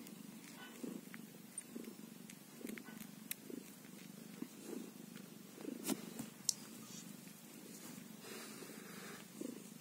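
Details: Newborn kitten, one day old, purring: a low, evenly pulsing rumble throughout, with occasional faint ticks and rustles.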